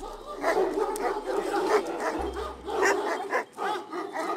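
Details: Kangal shepherd dogs protecting nomadic herds in Turkey, a dense chorus of overlapping barks from several dogs, continuous and rough, with some low rumbling underneath.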